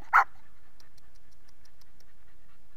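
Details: Dog among puppies in a kennel gives one short, sharp bark at the very start, then near silence with faint scattered ticking sounds.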